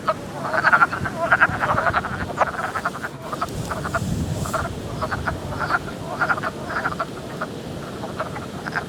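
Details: Early-spring vernal pool chorus of Wood Frogs giving rapid, rough quacking notes that sound like ducks, many callers overlapping in bursts, louder at first and then steadier, over a low rumbling background.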